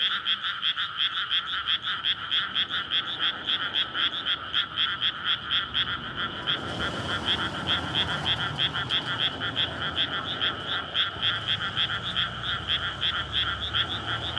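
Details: Frogs in a flooded rice paddy at night in May, calling in courtship after water is let in before planting, near houses and a road; dense rapid croaking pulses repeated many times a second, with a passing vehicle swelling midway.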